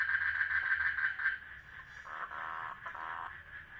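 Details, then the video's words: Frogs mating in a water lily pond: a dense, buzzy pulsed trill runs almost without a break, briefly wavering and dipping in strength midway before carrying on at a steady rapid rate. "FROGS MATING IN WATER LILY POND"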